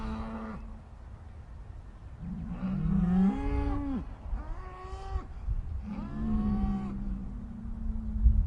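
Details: Upset cows give a series of moos: a short call, then longer bellowing moos that rise and flatten, with a low rumble beneath.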